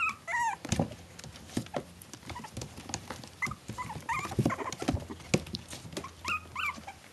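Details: Four-week-old Maltese Shih Tzu cross puppies in a litter give wavering whine-like squeaks in short bursts at the start, middle and end, over busy scuffling, tapping and a low hum.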